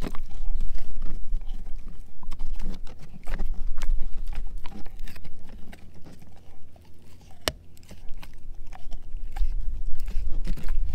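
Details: Male German Shepherd mix eating a dehydrated pig ear chew, close-miked: loud, wet crunching and gnawing with irregular sharp cracks several times a second and deep thudding bites throughout.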